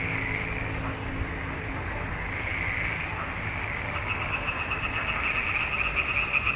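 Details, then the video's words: Frog chorus from a swamp pond in June 2021, Nikon D780 recording. It starts as a softer, distant murmur of croaking, then grows into louder, closer rattling pulses toward the end. "Il canto delle rane in palude"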